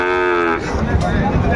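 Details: Sahiwal bull calves at a livestock market in Ambari, Dinajpur, Bangladesh, on 14 March 2025: a short harmonic moo that breaks off halfway, with traders haggling over prices close by.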